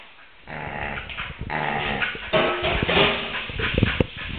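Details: Female Samoyed yowling and mullet fishing as a male Samoyed and a Maltese-Pomeranian watch, 2008: a drawn-out, groaning, wavering vocalisation with rich harmonics, rising in strength midway, with a woman talking and some clatter.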